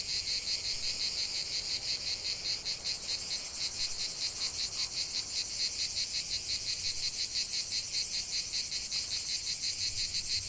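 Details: Cicada song in a natural setting: a high, sizzling buzz that throbs in quick regular pulses, several per second, over a constant shrill background hiss.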